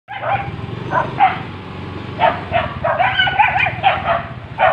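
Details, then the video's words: Street dogs during mating season, several loud, rough barks and yelps with whining, wavering tones in between, coming in bursts every half second to second. "street dogs(mating season)"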